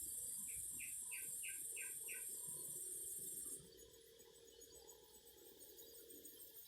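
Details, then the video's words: Cicadas singing as an intense high hissing drone that cuts off abruptly after three and a half seconds. Six quick repeated chirping notes sound early on, over a lower hum. "Singing cicadas."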